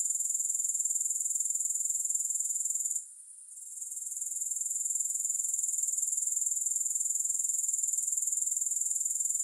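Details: A shrill, rapid, metallic-sounding insect buzz comes from grasshoppers and pulses evenly. It drops away briefly around three seconds before climbing back to full strength. Nothing else is audible.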